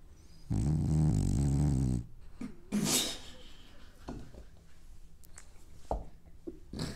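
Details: Sleeping French Bulldog having dreams, one long, low, throaty snore followed by a sharp snort and faint snuffles and small breathing noises.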